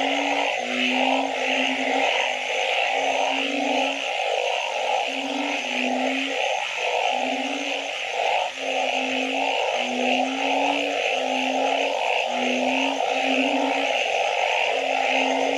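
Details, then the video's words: Frogs calling at night in a wetland: short low hooting notes, each about half a second, repeat steadily over a dense continuous chorus of buzzing and trilling in higher bands. "Nighttime Frog Symphony"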